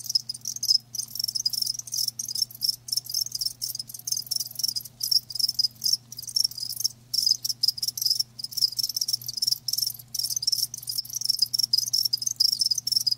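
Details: Loud live crickets trilling shrilly in rapid pulsed runs broken by short pauses, with a low steady hum in the background.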